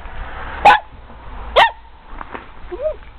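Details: Pet dog barking at its owner over a treat. It was asked to sit but only barked. Two short, sharp barks come about a second apart, followed by faint voice sounds.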